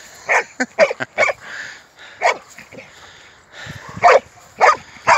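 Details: Playing football, an American Staffordshire Terrier lets out a run of short, sharp barks at irregular intervals, some in quick pairs, with brief pauses between bursts.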